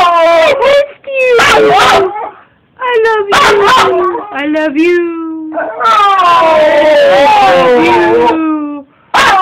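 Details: An excited Wire Fox Terrier howls in sliding, singsong phrases, greeting its owner returning home for the weekend as the owner repeats "I love you."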